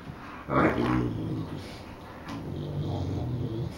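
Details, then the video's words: Newfoundland dogs, brothers, in a vocal exchange: a low, rough, harmonic growl rises suddenly, holds for about a second, then eases into a softer rumbling second phrase. "Newfoundland dog : The conversation of brothers!"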